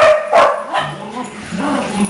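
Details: Dogs in December, pets at home, giving sharp barks and yips in a short burst near the start, followed by softer whimpering sounds and room noise.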